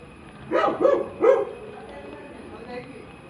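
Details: Labrador retriever puppy, recently adopted, producing a quick string of three yelping barks, the last one strongest, followed by near quiet with a faint tone.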